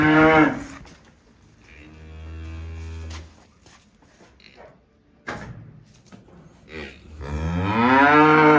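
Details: Calves enjoying themselves give several moos: a short strong call at the start, a long low droning moo, then a loud rising, wavering bellow at the end, with quieter knocks and rustles between.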